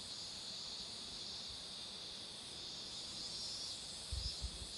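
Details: Cicadas singing next to a road with marigolds in flower: a loud, steady, high buzzing drone fills the clip, and a brief low thumping rumble enters at the very end.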